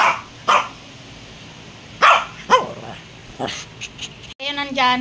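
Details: Pet dog giving several short, sharp barks spaced about a second apart. A brief gap is followed by a higher, drawn-out whining or meow-like tone at the end, over low room noise.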